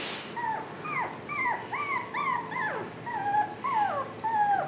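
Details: Japanese Chin and Pomeranian puppies, five weeks old, out for the first time without their mother, giving clear high whines that bend down in pitch, about two each second, some rising briefly before dropping.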